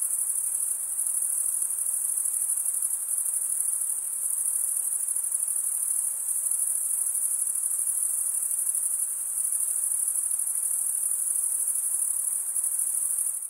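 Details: Male crickets stridulating, wing scraped across a comb-like row of teeth on the opposite wing, produce an unbroken shrill high trill that holds level throughout, with a faint softer hiss beneath and nothing else.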